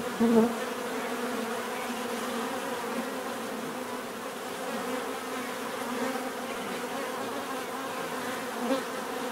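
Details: Dense buzzing of many bees, opening with one bee passing loudly near, then an even, steady drone of the group with another brief close flyby near the end.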